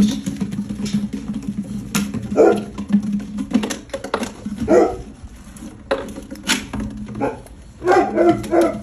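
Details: American Bully puppy indoors in a small room, giving short gruff barks in separate bursts about every two seconds against a steady low hum.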